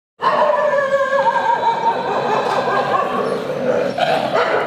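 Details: Street dogs playing and quarreling together, a sustained, loud tonal whining and growling run through the whole stretch with wavering pitch, a brief dip near the end before it rises again.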